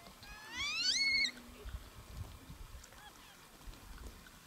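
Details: A gelada (Theropithecus gelada) in the Simien Mountains of Ethiopia, recorded in October–November 2015, gives a single loud squeal that climbs steeply in pitch and then cuts off.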